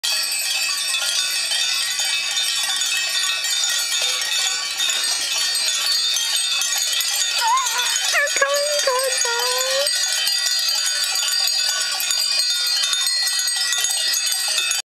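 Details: Flock of sheep in a quiet valley below Lietava Castle, Slovakia, each wearing a bell. Dense jangling, ringing bells fill the whole recording, and one wavering, nasal bleat rises and falls midway through.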